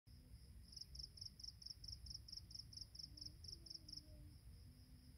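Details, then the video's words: Insects at dawn on a mountain path at Penang Hill: a high, pulsed chirp repeated in a steady train of about fourteen beats, with a continuous faint high hiss above and low rumbling background noise throughout. "새벽 산길의 풀벌레 소리"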